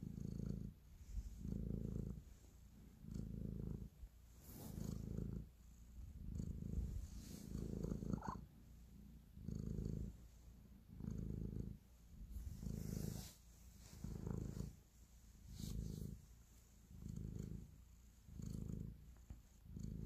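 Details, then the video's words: Domestic cat purring while kneading, showing affection; a low rumbling purr in steady pulses, each breath swelling and fading about every one and a half seconds, with faint rustling of paws in a quiet indoor room. "Cat Purr, Kneading and Love"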